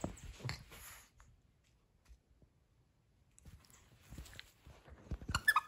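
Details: Nova the pug, a female, playing indoors with a crinkle toy: soft snuffling breaths and mouth sounds in short bursts, with crackling rustles of the toy near the start and end and a quiet pause in between.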